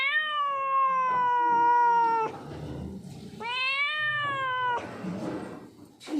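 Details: Stray street cat, hungry and scared, gives two long steady wails, each over two seconds, the second rising sharply at its start, with a gap of quieter rustling between them and a brief sound at the end.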